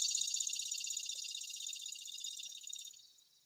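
A single cicada gives a harsh, high, steady buzz that slowly fades away.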